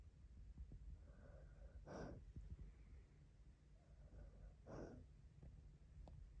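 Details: A sleeping Cocker Spaniel lying in a lap gives faint, soft whines and two sharp, breathy snorts while dreaming.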